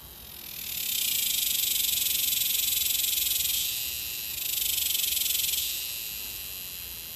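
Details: A cicada in North Texas (Dallas–Fort Worth area) gives a loud, high, rasping buzz that swells, eases, and swells again.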